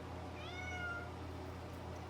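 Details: Domestic male cat indoors, meowing because it misses its owner: a single soft, drawn-out meow that rises and then falls in tone, heard over a steady low hum.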